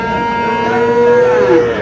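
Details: Cattle at the Aftabganj market in Dinajpur, 22 July, where Friesian and crossbred bull calves are bargained over. One clear, sustained moo holds an even tone for nearly two seconds and dips slightly at the end, with little background noise.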